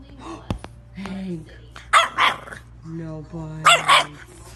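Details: Short bursts of barking from French Bulldog puppies, two doubled barks about two seconds apart, with human speech and a faint hum between them.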